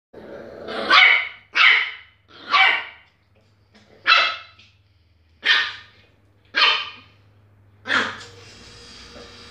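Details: A female Miniature Pinscher gives a run of sharp, high-pitched yapping barks, about one each second.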